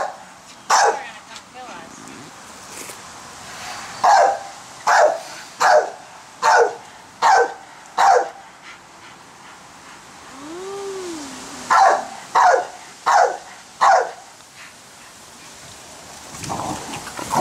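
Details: A female pit bull in a backyard keeps barking while people play with a giant bubble maker; sharp single barks repeat roughly every second in runs, with a pause in the middle and voices heard faintly.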